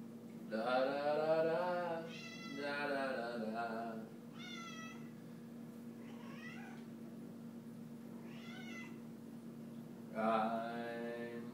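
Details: Domestic cat named Sofie, singing along to "White Christmas" indoors: several long, drawn-out, wavering meows, some rising then falling, with short pauses between and a steady low hum in the background.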